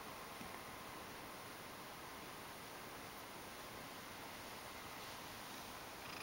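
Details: Ragdoll cat, a pet indoors, coming up affectionately because it wants to be stroked; a soft, steady, continuous purr with an even low rumbling texture throughout and no other clear sounds.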